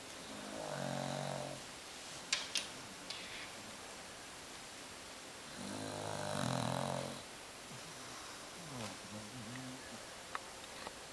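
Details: Sleeping Beagle snoring, two long rasping snores about five seconds apart, each followed by shorter wheezy exhalations, with a couple of sharp clicks in a quiet room.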